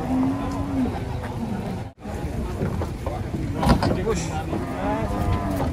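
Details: Giant cattle being unloaded from a truck ahead of Eid give a steady, low drawn-out moo at the start. Further lowing rises and falls later, over background music, engine rumble and voices.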